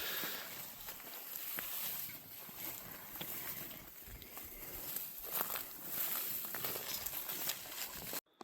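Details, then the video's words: Several cicadas drone steadily and loudly, high-pitched and hissing, heard from below a steep forested mountain ridge in the Philippines in the dry season, under footsteps and a man's voice. "Yeah, the cicadas are so loud you can hear them from down below."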